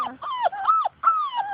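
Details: Labrador Retriever puppies of Grace and Sam's litter, outdoors chasing their mother, give a run of tonal whines, each one arching and then falling in pitch, with brief gaps between them.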